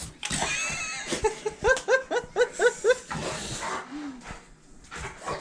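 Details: Rottweiler reacting angrily to a container, a dog that hates anything making a popping noise; a rapid run of about seven short, harmonic, yelping barks in under two seconds, with a man's voice talking before and after.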